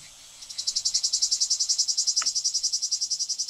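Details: Singing male cicada Lyristes plebejus on 9 July 2022 at Fondon, Andalucia, Spain: after a brief quiet start, a loud, high, buzzy song of evenly pulsed throbs, about three or four per second, steady to the end.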